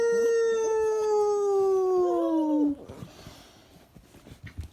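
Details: A pup howls one long, clear, tonal note that slides slowly downward for nearly three seconds, then breaks off, leaving soft background noise and faint music.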